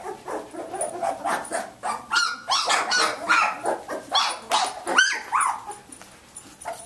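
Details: Nineteen-day-old Samoyed puppies from Athena's litter playing and moving about; a busy run of shrill yips, squeals and short barks, with some rising whiny notes near the end.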